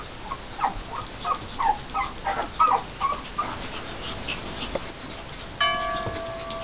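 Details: Pug puppies, a litter born June 12, 2012, give a run of short, thin whimpering squeaks, roughly three per second for about three seconds. A pause follows, then a steady tone with overtones sounds near the end.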